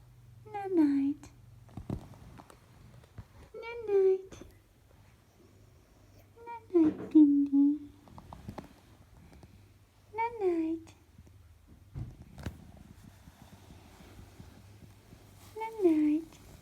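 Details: Bindi, a sleeping Pekingese, snoring indoors: soft nasal, whining snore notes that waver up and down, coming every three seconds or so, with a double note near the middle and faint rustling between breaths.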